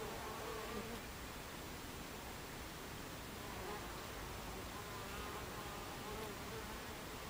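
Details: At a Buckfast beehive entrance on 26 July 2013, mid-afternoon, many bees create a continuous droning buzz, and a few brief higher whines from single flying bees rise briefly above the even background hum.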